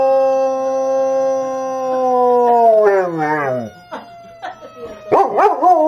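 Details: A German Shepherd, set off by a siren sound, gives a long, steady howl that slides downward and breaks into wavering, yodelling notes.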